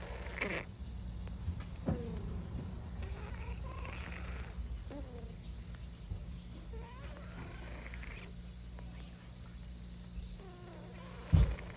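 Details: Rowena, a kitten, gives soft, short downward-bending meows spaced roughly every two seconds over a steady low indoor hum, ending with a brief thump.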